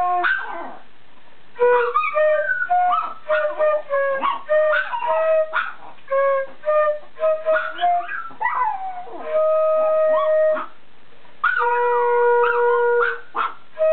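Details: Female Chihuahua, one year old, singing along with a flute played indoors: many short wavering yips and howled notes alternate with held flute tones, two longer sustained notes near the end.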